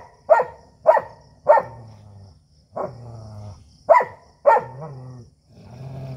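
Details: Native desi dog and German Shepherd fighting: a run of six loud barks, each trailing into a rough low growl, roughly one bark every half second to second.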